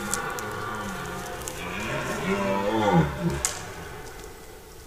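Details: Red deer stag roaring during the rut, recorded 10–15 September 2018 in a forest where bulls roar day and night; a deep, drawn-out groaning roar rising and falling in pitch near the middle, with a background hiss.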